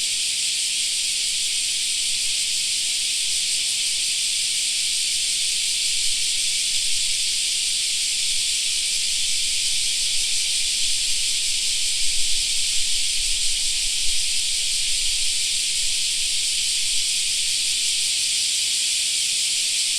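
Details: Park in summertime, cicadas droning as a continuous, high-pitched sizzle that stays level for the whole stretch, with faint low rumbles in the background.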